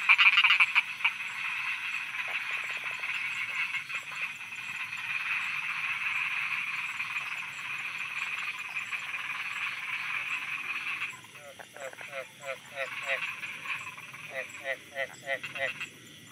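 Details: Thai frogs croaking after dark: a thick, churning chorus of pulsed calls for about eleven seconds, then it thins out, leaving separate short rasping croaks repeated roughly every half second against a soft high drone.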